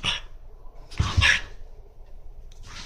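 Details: Monaka, a French Bulldog protesting against being put on the leash, makes a rough, breathy grunt near the middle of the clip, with shorter noisy bursts at the start and end over low indoor hum.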